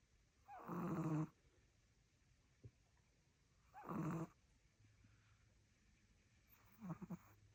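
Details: Loud snores from a small long-haired Chihuahua asleep at home in Solvang, California: three harsh, buzzy snores about three seconds apart, the last one fainter and broken, with near silence between them.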